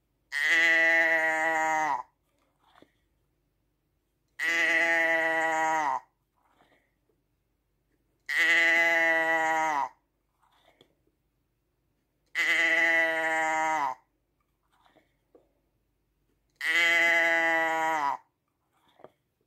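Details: Five long, near-identical sheep baas, each held steady for about one and a half seconds and falling slightly at the close, repeated regularly about every four seconds, with soft clicks in the quiet gaps.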